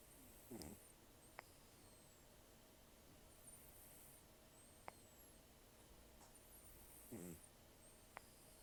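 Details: Rough nasal snoring from Taro, an elderly rescued cat taken in during October 2024 and sleeping calmly; two raspy, ridged snore bursts at the start and near the end, with quiet hiss and small clicks between.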